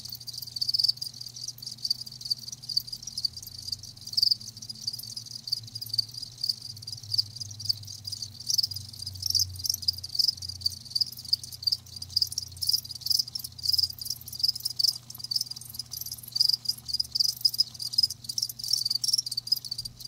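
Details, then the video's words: Live crickets chirping in a dense, high-pitched chorus of rapid overlapping pulses that run without pause, with brief dips in volume, over a faint steady low hum. "Live Crickets 60min "Natural Sound""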